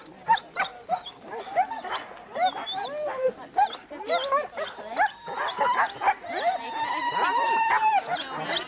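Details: Many huskies at a Forest of Dean race weekend in November 2001, captured on old VHS tape: choppy barks and yips give way to a sustained, wavering howl-like cry rising over the restless pack.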